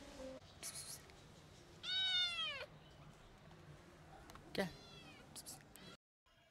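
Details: Recovered kitten reunited with her twin brother after treatment, giving a clear rising-then-falling meow, then a second shorter meow, over steady background hiss with a woman speaking softly.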